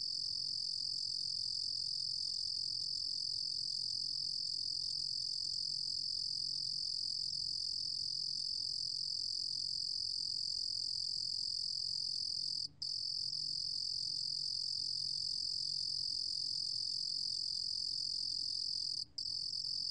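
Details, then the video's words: Cricket song from 2020: a long, unbroken, high-pitched buzzing trill that stops only twice for an instant, with a faint low hum in the background. "루루곰귀뚜라미, 여러번 듣기, 곤충소리"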